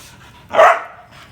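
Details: Street dog puppy giving a single short, mid-pitched bark that swells and fades within half a second against a quiet background.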